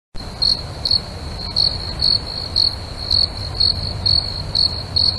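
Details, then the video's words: A cricket near a waterfall chirps steadily in short, high, pulsed bursts about twice a second over the waterfall's low rushing background. "cricket sounds 30 seconds youtube"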